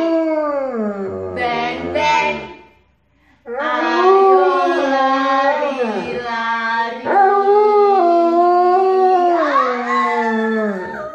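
An Alaskan Malamute howls in long, wavering, sliding notes alongside people singing.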